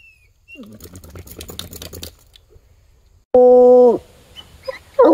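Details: Bluetick Coonhound out on a walk in the woods, trailing a scent to a tree; rustling footsteps and leaf litter, then one loud, drawn-out bay lasting under a second, with another starting at the end.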